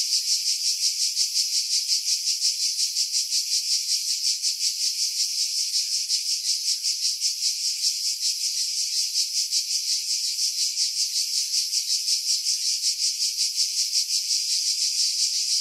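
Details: Cicadas in pine trees about 50 m above the sea at Pefkos Bay, Skiros Island, Greece, in July 2018; a dense, continuous high buzzing chorus pulsing about three times a second, with everything low filtered out to remove wind.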